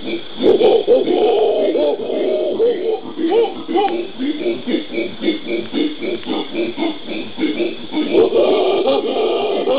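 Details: Pantanal howler monkeys, genus Alouatta, Brazil, January 2011. Overlapping hoarse, hooting calls rise and fall in quick, irregular pulses, swelling louder at the start and end, like a chorus of several animals, over a constant hiss.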